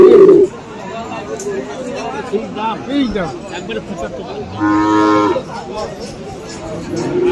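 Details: Cattle at the Aftabganj cattle market in Dinajpur on 21 February, where Friesian and crossbred bull calves are sold. One short, even, harmonic moo of under a second rises from steady crowd chatter and voices.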